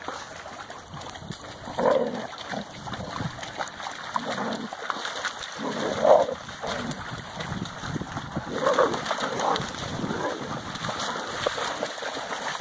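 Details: Central Asian Shepherd (Alabai) puppies, expected December 2017, giving short yelping barks about every three to four seconds over steady splashing, rushing background noise.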